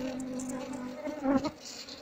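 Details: Asian honey bee colony (Apis cerana) nesting in a hollow log, combs already removed while a beekeeper tries to draw the queen out of the wood's cavities; steady low droning hum of many bees with a brief knock near the end.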